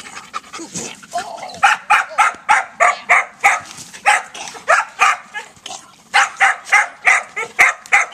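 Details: Female dog panting hard: loud, breathy rasping puffs at a steady rhythm of about three per second, continuing without a break.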